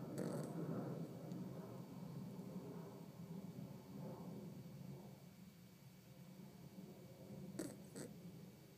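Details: Sleeping Yorkie named Winnie snoring indoors, low rumbling breaths rising and falling every second or so, with a couple of short clicky sounds near the end against a steady faint hum.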